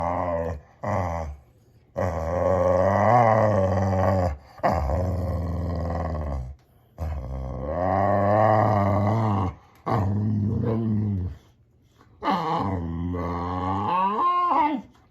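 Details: Male Boxer dog making funny talking sounds: long, rising and falling harmonic moans and grumbles in bursts of one to three seconds, separated by short silences, ending with a higher wavering whine.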